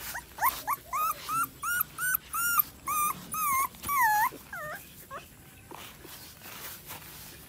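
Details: Bangkaew puppies crying in a series of high, bent whines roughly every half second, each cry arching up then sliding down, growing longer and louder before trailing off into faint whimpers and low household noise.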